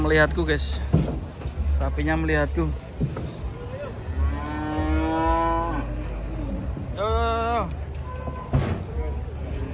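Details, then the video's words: Giant cattle in a group being unloaded from a truck: a long, steady, deep moo around the middle, with shorter lowing calls before and after it, over a constant low engine rumble. "KUMPULAN SAPI RAKSASA UNIK TURUN DARI TRUK RAME SEKALI"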